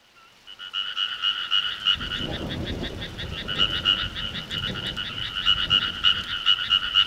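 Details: Many frogs croaking together in the countryside in summer: a dense, fast pulsing chorus of repeated rasping notes, mid-pitched with a higher ringing band, starting quietly and building, with a low rumble underneath in the second and third seconds.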